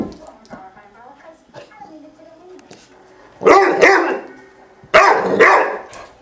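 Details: Four-month-old female Great Dane puppy playfully attacking her hair brush indoors: two loud, broad barks with bursts close together, preceded by soft whines and speech-like murmuring.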